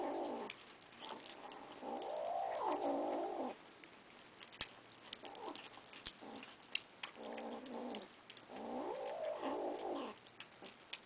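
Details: Kittens growling at each other as they eat; long, low, rumbling growls with wavering pitch come in bouts of about three seconds, separated by quieter gaps with clicks and eating sounds.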